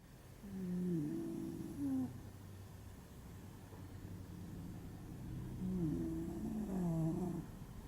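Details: Sleeping pet dog, deeply tired and unaware of the camera, snoring contentedly: two breathing cycles of low, wavering squeaky tones with soft nasal rumble, each lasting about two seconds, separated by quieter breath noise.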